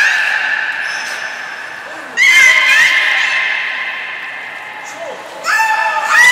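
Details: Belugas Nana and Niko at a training session, Port of Nagoya Public Aquarium, 7 October 2018. Loud, bright harmonic squeals arrive twice, each rising sharply before holding and fading, over hall reverberation.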